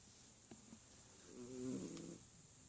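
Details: Sleeping pet cat indoors giving one soft, low rumbling snore lasting under a second, a single breath in an otherwise quiet room with faint steady hiss.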